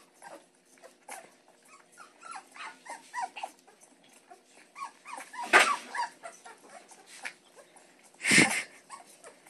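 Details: Week-old Great Pyrenees puppy swimming while nursing on a bottle gives a string of short, high squeaks and whimpers, with two louder splashy bursts near the end.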